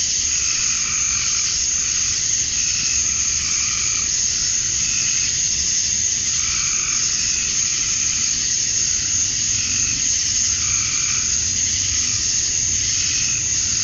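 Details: Summer dusk in Georgia, USA, with male cicadas calling to attract females. A dense, unbroken high-pitched drone fills the air, and fainter mid-pitched notes wax and wane in slow repeated swells over a low background hum.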